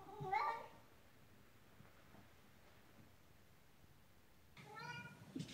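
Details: Ragdoll cat indoors with the zoomies, running around the house: two short harmonic meows, the first rising then falling near the start, a second brighter one after a long quiet pause.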